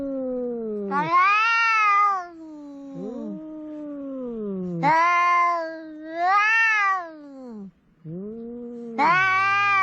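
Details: Quarrel between two cats by the sea, including a ginger cat: alternating drawn-out yowls, rising then falling, with bursts of louder, higher wailing roughly every few seconds and brief pauses between them.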